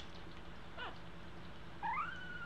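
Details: Two-week-old American Eskimo Dog puppies learning to walk; a single thin, high whine slides upward and levels off near the end, over a soft steady hum indoors.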